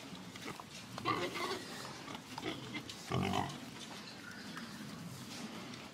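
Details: Pig grunts, low and rough, with a louder drawn-out grunt near the middle amid a noisy, busy background.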